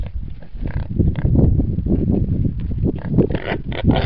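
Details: Wild boars at a feeder fitted with a side trapdoor that lets only boars reach the food; dense, rough low grunting and snuffling, continuous and overlapping, with some clatter throughout.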